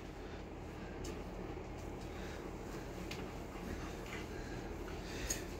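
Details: Steady low indoor rumble with a few faint clicks and no animal sounds. No barking or other animal voice can be picked out.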